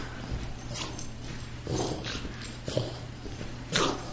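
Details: Pet greyhound and Boston terrier wrestling in play indoors: a few separate short yips and huffing bursts about once a second, quiet gaps between, low background hum.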